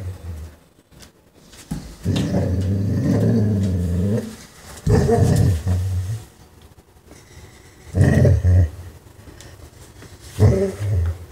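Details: A German Shorthaired Pointer, spotting its first chipmunk of the year, gives low, drawn-out, wavering whines in excited bursts.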